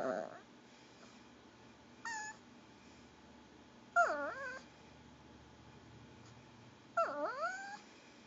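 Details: Pomeranian wanting goldfish crackers gives gurgling whines roughly every three seconds, each starting sharp then sliding down and rising again, after a brief opening yelp, indoors with little background noise.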